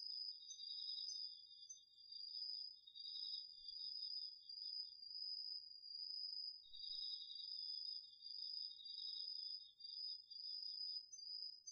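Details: Crickets among other autumn insects chorusing at night in a garden field, DR-40X recording: a continuous shrill high trill over a lower rapid pulsed trill that pauses for about two seconds, then returns.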